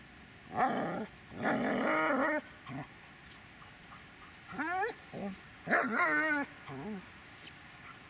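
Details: Magmar von der Burgstätte, a Dobermann, vocalizing in a mix of rough, grumbling growl-like bursts followed by several rising, wavering whines and yelps in quick succession.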